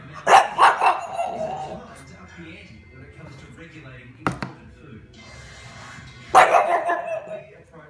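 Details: A male pug gives short, sharp barks in quick bursts at a jar of pasta sauce, with faint voices or music behind.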